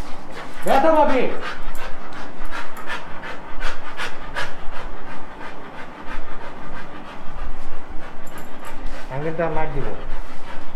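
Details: Bella, a female Rottweiler at the vet for allergy problems and a rash, on the day of her last vaccine dose. She pants rapidly in steady breathy pulses, several each second, with a short voiced sound at the start and again near the end.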